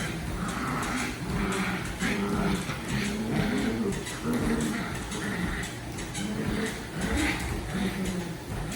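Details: Daisy the dog growling during a game of tug: low, harmonic-rich growls in repeated bursts about every second, some rising and falling in pitch, over steady background noise.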